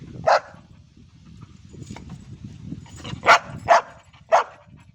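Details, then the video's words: Labrador Retriever named Ruby 'talking' with short, sharp barks: one single bark, a pause, then three quick barks in a row, against faint low background noise. "क्या आप समज गये रुबीने क्या बोला ??"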